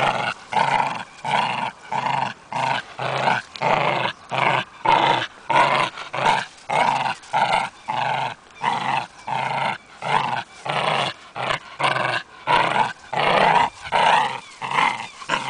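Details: Continuous pulsing growl from a German hunting terrier, over twenty rasping bursts repeated about every two-thirds of a second, evenly sustained across fifteen seconds with a few higher yelping edges; nothing else clearly heard.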